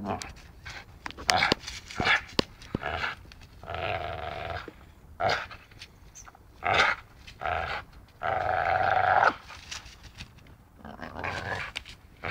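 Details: Biting, playing dachshund producing a series of drawn-out rough growls, each about a second long, broken by sharp snapping clicks and brief grunts.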